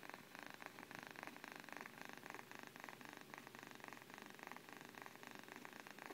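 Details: Sleeping domestic cat purring softly, a quiet, steady rumbling purr with an even pulsing rhythm running through the whole recording, no other sounds clearly heard.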